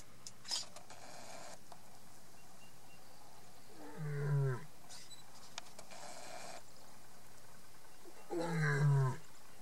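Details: A lioness calling softly: two short, low, moaning calls with rich harmonics, about four seconds apart, each swelling and fading. Faint clicks and rustles fill the gaps between calls.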